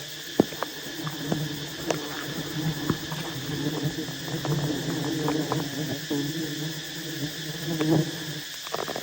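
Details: Wild honey bees at a massive hive as honey hunters approach and harvest it: a steady, low droning hum of many bees runs throughout, with scattered sharp knocks and handling clicks on top.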